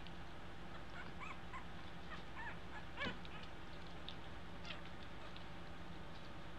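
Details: Two-week-old American Eskimo Dog puppies learning to walk give soft, high whimpering squeaks scattered through the clip, with one brief louder yelp near the middle, over a steady low background hum.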